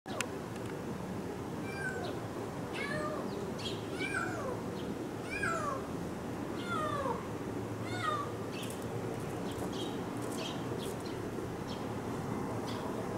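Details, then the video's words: Stray kitten climbing a block wall at dawn while it is still dim, starting a solo walk; repeated short falling mews every second or two over steady outdoor background hiss. "夜明けの子猫 一人で散歩？"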